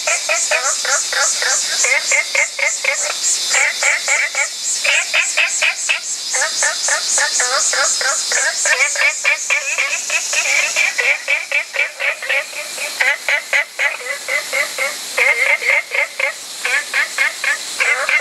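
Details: Olive frogs (Babina adenopleura) give rapid, dense trains of short clucking notes, several callers overlapping in a steady chorus, with human laughter heard nearby.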